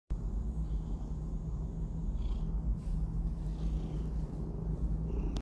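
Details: Domestic Shorthair cat awaiting adoption, purring in a steady, low, continuous rumble with a faint hum under it throughout.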